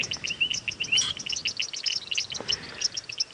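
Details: A waterhole chorus of many small frogs at dusk in a South African game reserve in February, taken for alarm or contact calls, overlapping quick, high, bright chirps and clicks with no steady rhythm, as a young leopard hunts frogs nearby.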